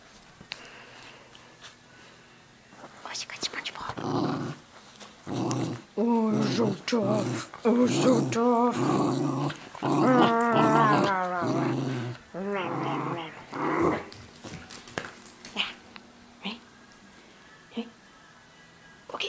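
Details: Playful growling from Tia, a terrier mix dog worrying a stuffed SpongeBob toy in a small room, all in play; rasping growls swell into a long wavering run mid-clip, with whispered human voice around them.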